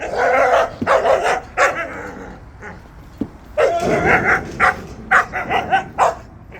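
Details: Jindo dogs out on a walk, barking in quick irregular bursts, roughly two sharp yelps or barks per second, some louder and higher, with short gaps between volleys.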